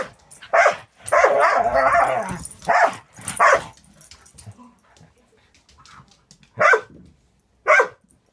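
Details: Angel, a Border Collie mix aged six months, in Wisconsin Border Collie Rescue foster care, plays with Cisco: a rough, growling bark run in the first seconds, then two isolated sharp barks after a quiet stretch.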